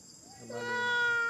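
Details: Crying monkey: a soft note slides upward, then becomes a steady, drawn-out harmonic wail that swells louder and holds to the end.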